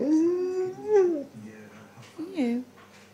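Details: Kavik, an Alaskan Malamute husky, answers his owner's 'hello' with a long, wavering 'woo' and then a short, bending yodel as he talks back.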